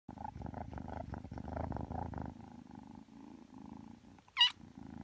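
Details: Three-month-old Ragdoll kitten purring indoors while kneading before falling asleep; steady pulsing low rumble throughout, softening after the first two seconds, broken near the end by one brief high squeaky chirp.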